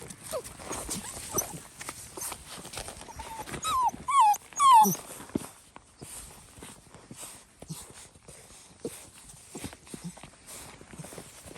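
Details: Fox red Labrador Retriever puppies, seven weeks old, on their first time outside: three quick high whining yelps that slide downward in pitch, bunched within about a second, amid rustling, scuffling and soft footsteps.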